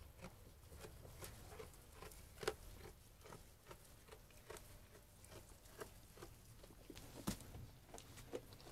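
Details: Sheep feeding on food, heard as a steady patter of small dry crunches and bites, with sharper cracks at about two and a half and seven seconds, quiet and close.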